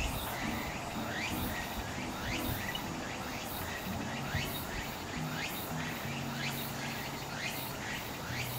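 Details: Walker's cicada (tsukutsukuboushi), a forest cicada of late summer and early autumn whose song heralds autumn's arrival: a rhythmic run of sharp, sweeping strokes falling in pitch, repeated about twice a second over a low, rumbling background hum.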